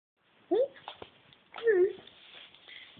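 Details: Siamese cats bred at Cattery Van Scarlettini, described as talking cats, give two short tonal meows indoors, the first rising sharply, the second longer and falling, about a second apart, with faint background murmur.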